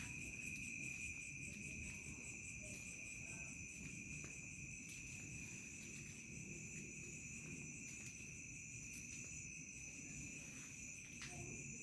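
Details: Cricket chorus at evening in a remote village, a shrill high whine with faint rapid pulsing, several beats each second, layered over a softer lower whistle and a constant low rural rumble.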